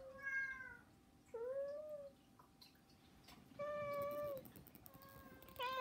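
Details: Pet cats in a three-cat household meow while begging, giving about four drawn-out, slightly rising mews with bright overtones, separated by brief quiet gaps over a low indoor hum.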